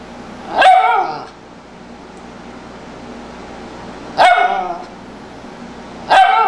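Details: Tibetan Spaniel barking on a sofa indoors: three short, bright barks with strong harmonics, the first early on, then two more about three and a half and two seconds apart, with only a low room hum between them.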